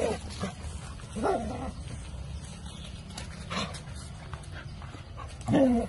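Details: Dogs described as looking happy; a couple of brief, high, wavering whimpers rise out of steady low background rumble, one near the start and a louder one at the end.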